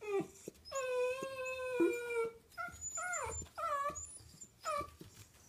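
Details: Choco, a playful female smooth miniature Dachshund born in 2011, holds a steady, clear, drawn-out howling note for over a second, then follows with several short bending whines that dip and rise, in a quiet indoor room.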